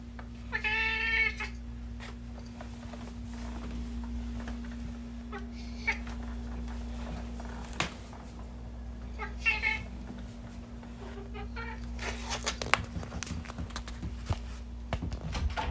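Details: Pet cat with a strange, unusual voice, always greeting its owner on arrival; a clear harmonic call opens the recording, followed by quieter calls near 9.5 and 12 seconds, with a constant low hum and indoor rustling.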